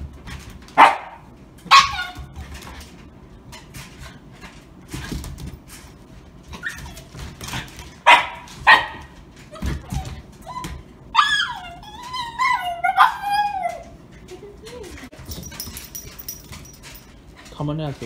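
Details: A Shiba Inu gives sharp barks and yips, then wavering, high whining cries, indoors in New Jersey on its first play date with another Shiba Inu.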